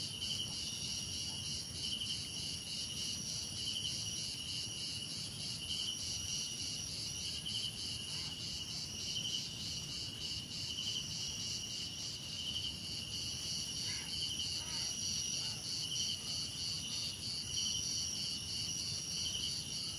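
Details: A cricket chorus in a mix of crickets, cicadas, insects and birds. Dense high shrill bands run throughout, with rhythmic chirps repeating about three times a second and a few faint lower calls near the end.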